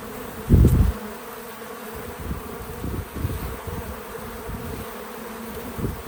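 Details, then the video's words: Bees visiting a feeder outdoors on a small farm: a sudden loud, low buzz as one passes close near the start, then softer, uneven humming and rustling of several insects, with no music or talking. "Relaxing Bees at the Feeder 🐝 | Natural Buzzing Sounds"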